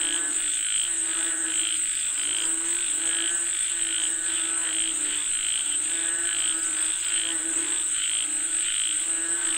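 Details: Chorus of frogs calling for rain, rhythmic rattling croaks rising in bursts roughly every one to two seconds, many voices overlapping, set against a continuous high insect whine.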